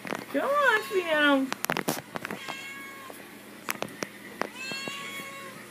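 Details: Female house cat begging for treats kept in a cabinet: a loud wavering meow falling in pitch, then softer short mews, with scattered knocks and clatter in a room.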